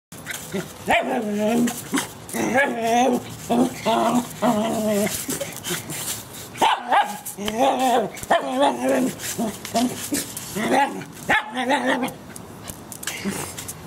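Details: A small white terrier playing with a broom gives high, tonal yapping barks in quick bursts, roughly one each second.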